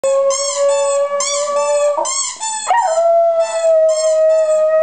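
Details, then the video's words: West Highland White Terrier dog singing along, a long sustained tonal howl with strong harmonics, holding steady then shifting pitch upward near the midpoint and carrying on; a faint repeating musical pattern sounds in the background. "Westie Singing"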